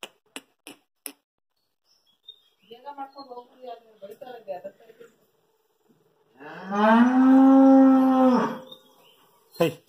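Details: Hallikar stud bull with two teeth, kept by a farmer at Thattikere, lets out a sustained deep moo lasting about two seconds after a stretch of quieter grunting sounds and sharp clicks.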